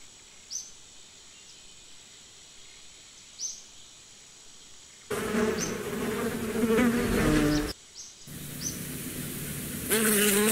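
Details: Bees buzzing close by in a low, droning hum with layered overtones, heard in two loud bursts in the second half after a quiet stretch with a few faint high bird chirps.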